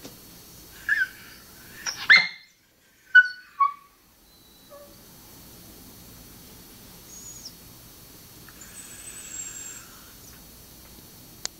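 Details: Dog named Fiji whining because her owner is on the other side of a gate and she cannot reach them; a few short high whines and squeaks early on, then quiet background with faint hiss.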